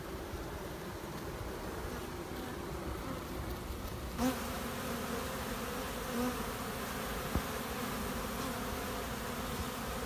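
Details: Steady droning hum from a queenless honey bee colony raising new queens, broadband and even throughout, broken by two short tonal chirps a couple of seconds apart and a faint click.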